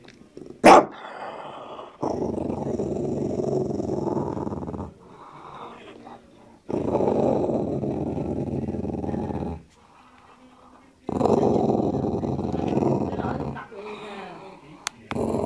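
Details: A dog in front of his meat bone growls in long throaty rumbles of about three seconds with short pauses, grumbling to keep others away from the bone; a brief sharp noise opens the sequence.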